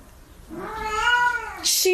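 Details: Domestic cat giving one drawn-out meow indoors, rising then falling in a smooth arc with clear harmonics and lasting about a second, followed by a short sharp noise; people chatting in the background.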